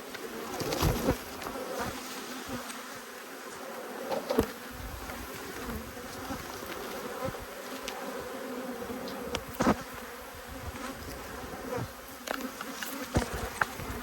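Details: Angry honey bee colonies from two hives being inspected keep up an unbroken, even wing-hum for fourteen seconds, punctuated by close individual bees zipping past the microphone; recorded 5 March 2022.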